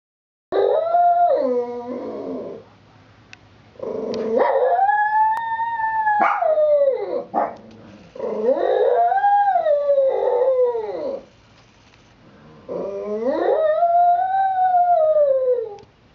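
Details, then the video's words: Missey, a 9-year-old female Shih Tzu, howling while standing sentry at a front window watching the sidewalk: four long, wavering howls that rise and fall, each a few seconds long with short gaps, some opening with yelping barks. "Our Shih-Tzu Missey in Howling Overdrive"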